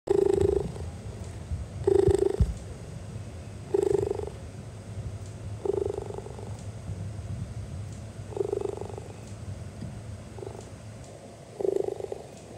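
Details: Gat, an 8-year-old hand-raised zoo cheetah relaxed with keepers close by, purrs in a steady low rumble that swells into louder pulses about every two seconds; cheetahs cannot roar.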